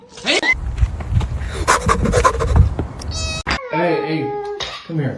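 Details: Domestic cat giving a drawn-out, wavering meow near the end, preceded by people talking and calling it over; a short bright squeak just before the meow.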